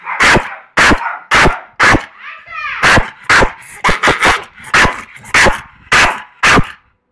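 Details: Attacking Staffordshire Bull Terrier in Málaga barks roughly twice a second, about a dozen loud sharp barks in a steady run, with a short whining tone in a gap around the second bark cluster.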